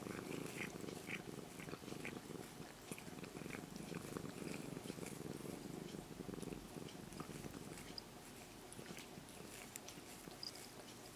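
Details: Close, soft purring of a stroked brown-and-white kitten that used to be a stray, a steady low vibrating rumble with small clicks and rustles from movement against it.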